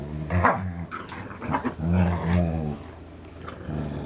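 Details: Indoor tug-of-war between two dogs, Dane and Polo, over a rope toy; a low throaty growl pulses in short surges, rising and falling, with a brief lull near the end.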